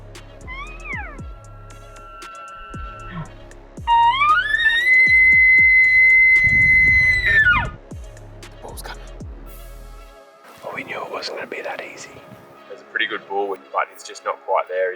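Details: A young bull elk near a herd of about 50 cows during the rut in the Montana mountains bugles, a rising whistle that holds high and then drops away over grunting.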